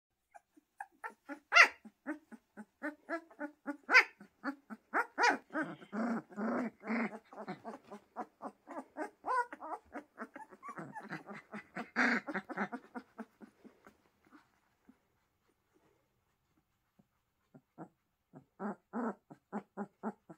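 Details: Pyrenean Mountain Dog puppies at a farm, giving a busy run of short low growls and grunts with some higher yelps, densely packed for about thirteen seconds, then a pause and a brief final burst of grunts.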